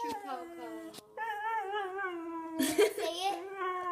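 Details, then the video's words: Whippet BB giving long, drawn-out wavering whines indoors, a near-continuous sung tone with a short break after the first second and a noisy burst near the end. "Funny whippet BB"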